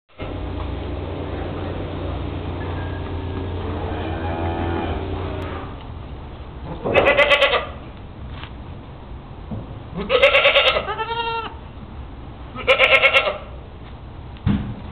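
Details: Goat eating a little feed, giving three loud wavering bleats with rich harmonics, each about a second long and a few seconds apart, after a stretch of low steady rumble and munching.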